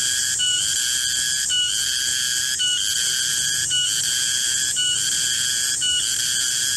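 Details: Shrill, sustained cicada call (garengpung) from a garden in the middle of the day, cycling with a brief break and restart about once a second, steady in loudness throughout.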